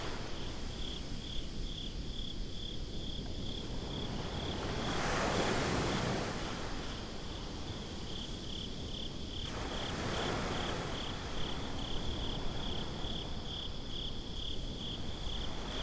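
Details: Night-time beach crickets, captured with binaural recording, keep up a continuous high pulsing chirp while two louder waves surge and hiss through, around five and ten seconds in.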